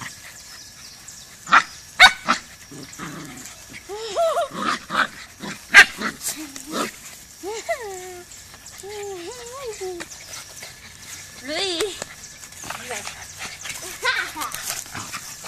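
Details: Brazilian Terrier (Fox Paulistinha) at a Joinville, Santa Catarina kennel gives a run of short bent whines and yelps, several in quick succession, between clattering knocks and people talking nearby.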